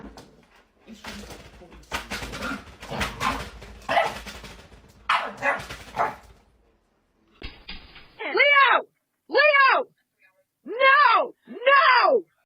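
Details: Dog in a funny home-pet moment: people talk over the first half, then four loud, arched, harmonic barks or yelps ring out about once a second, with short silences between them.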